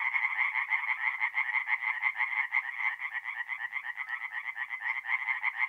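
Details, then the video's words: Tree frogs in a North-East Italian forest pond, April night, calling in a thick chorus: rapid nasal croaks repeated about twice a second per caller, blending into a pulsing, rattling texture. "relaxing forest pond by night with singing tree frogs"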